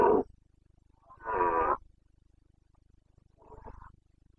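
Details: Rutting Carpathian stag, red deer of Bucovina, 29.09.2022 breeding season: three rough bellows in quick succession, a short bark, a fuller grating roar, then a weaker trailing groan, with a faint steady low hum behind.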